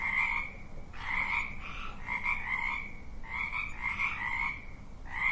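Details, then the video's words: Chorus of frogs giving raspy, buzzing croaks in bursts lasting about a second, overlapping voices rising slightly in pitch, with brief pauses between bouts. "Sound of frogs croaking"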